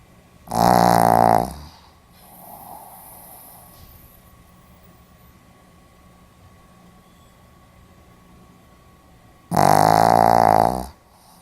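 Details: A Pomeranian dozing indoors on 4 November 2015 lets out two loud, droning, fluttering snores about nine seconds apart, with near silence and a faint breath between them.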